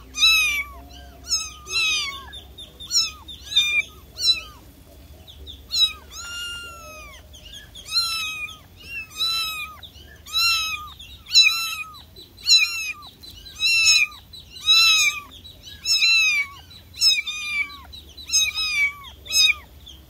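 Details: Kitten calling its mother: high, thin meows with harmonics, many sliding downward, repeated in irregular bursts roughly every second or two across the recording, with faint chirping birds in the background.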